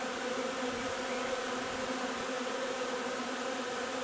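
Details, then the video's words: Colony of honey bees at the hive while foraging on linden nectar, 3 June; continuous even buzzing from many insects, a constant low drone layered with higher harmonics, no other sounds. "alveare api durante la raccolta del nettare miele di tiglio 3 giugno"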